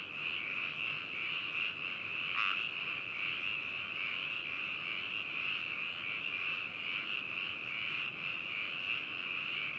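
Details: Many frogs calling together at Hakushu, Hokuto, Yamanashi, Japan, on 4 May 2018, binaural recording via adphox BME-200 and ZOOM H2n: an even, high-pitched trilling chorus throughout, broken by one loud nearby croak a little past two seconds.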